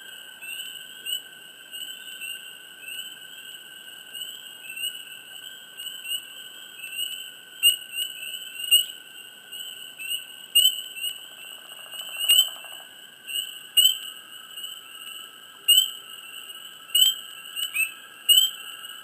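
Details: Frogs chirping close in a swamp, bright short chirps popping out in loud bursts every second or two, with a few clicks, over a steady thin high tone and a quiet background.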